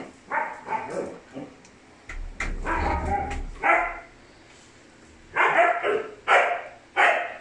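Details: Four woolly-coated Siberian Husky puppy brothers give short, high, breathy yips and small barks in scattered bursts, with a brief rumbling thump partway through and quiet gaps between calls.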